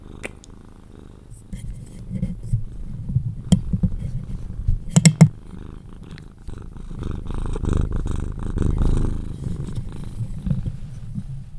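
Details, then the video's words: Cuddled pet Sphynx cat purring until asleep. A loud, deep rumbling purr swells and fades, with a soft whispered voice and a few sharp clicks in the middle. "CUDDLING MY SPHYNX | 10 MIN CAT PURRING CUDDLES E KISSES SOUNDS"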